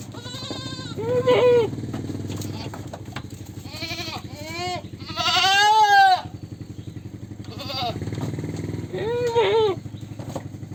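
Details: Goat bleating repeatedly: wavering, nasal bleats, some short and some drawn out over a second, about six calls in ten seconds, the loudest near the middle, over a steady low mechanical hum.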